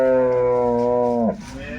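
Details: Jersey cattle at a wholesale cattle market: one long, steady, even-pitched lowing call held for over a second before dropping and breaking off, with faint market background.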